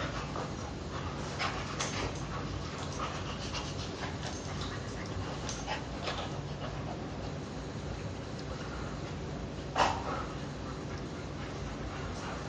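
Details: An adoptable Rottweiler puppy in Florida pants in quick, breathy bursts while playing, with soft scuffling noises throughout.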